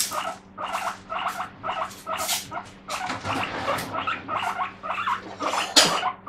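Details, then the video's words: Pet guinea pig screaming in the morning for vegetables, loud repeated squealing wheeks about every half second in a steady series, with a faint background hum. "The guinea pig screams for the vegetables."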